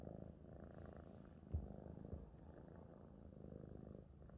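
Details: Contented domestic cat purring, a deep continuous rumble with a brief louder thump midway through.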